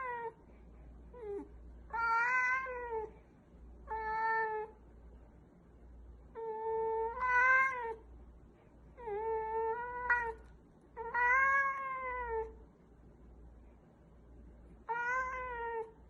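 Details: Domestic cat making weird noises: a series of drawn-out, harmonic meows, each about half a second to a second long, some rising then falling, repeated irregularly with short quiet gaps and faint low hum throughout.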